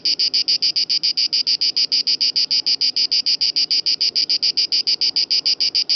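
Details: Song of an Italian cicada by Lake Garda (Gardasee): a harsh, high buzzing pulse train, each burst short and evenly spaced, roughly three per second, continuing unbroken throughout.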